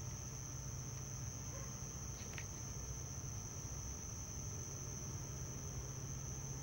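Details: House cricket near dwellings at Hammam Lif on the Gulf of Tunis coast, Tunisia, on a summer evening at nightfall; a male stridulates from its burrow entrance. A thin, steady, high-pitched trill runs throughout over low rumbling background noise.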